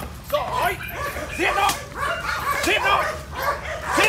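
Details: German Shepherd in training, attacking on command, barks repeatedly in rough, evenly spaced bursts about once a second, with a man's voice speaking and calling over the barking throughout.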